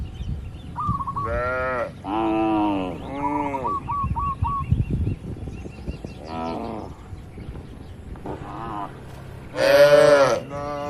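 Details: Herded tame cattle in a large oil palm plantation give a series of moderate moos, then a loud, long bellow near the end. Chirping birds with a repeated trill and faint rustling fill the background.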